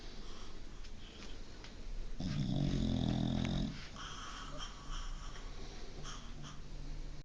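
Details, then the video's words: Sleeping dog snoring loudly indoors: one long, low, rough rumbling snore swelling in the middle and fading, set against a steady background hiss. "Funny dog snoring loud when sleeping"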